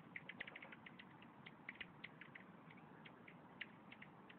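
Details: Korean golden frogs, endangered and found only in Korea, give short, soft clicking 'jjok' notes, scattered irregularly several times a second, among other frogs' calls at an arboretum in Seoul; their vocal sacs are less developed than other frogs'.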